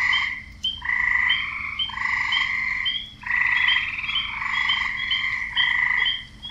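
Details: Frogs croaking in a mating chorus, males luring females with long, buzzy trilled calls that run together into sustained bouts, broken by one clear pause and sprinkled with short bright chirps.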